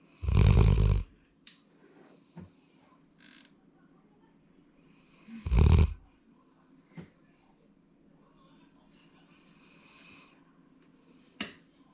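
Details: Sora, a male Labrador Retriever born 8 February 2019, snoring in deep, rumbling low bursts about five seconds apart. Faint soft breaths and small clicks fill the quiet between the two loud snores.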